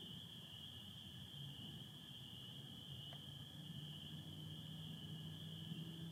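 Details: Dense spring peeper chorus from a Michigan spring night, 24 April 2025, stars and satellites overhead with some overcast: an unbroken high-pitched ringing of many peeps, American toads trilling faintly lower, plus a soft low hum.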